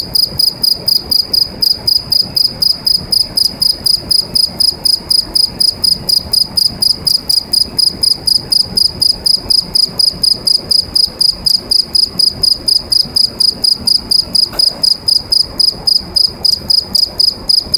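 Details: A cricket sings from inside a pipe, a loud, steady, high chirping trill pulsing in rapid, even bursts.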